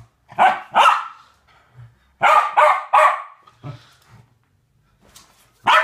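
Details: Playing West Highland White Terriers, two dogs at a game: bursts of loud, sharp barks in quick pairs and triplets, with brief low growly sounds in between.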